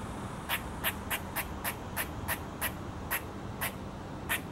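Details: A squirrel gives a run of sharp, hissing, raspy alarm calls, repeated several times a second, while another nearby squirrel stays unafraid and ignores it.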